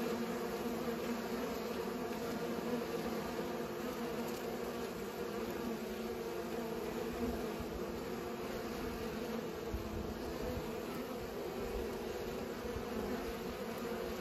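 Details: Many bees humming as they pollinate, a thick, even buzz that holds steady throughout with faint low rumbles beneath.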